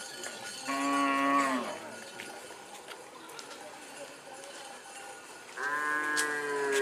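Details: Madura racing cattle during karapan sapi practice, Pamekasan, Madura island, Indonesia; two drawn-out moos about five seconds apart, each steady and harmonic, with a low background murmur.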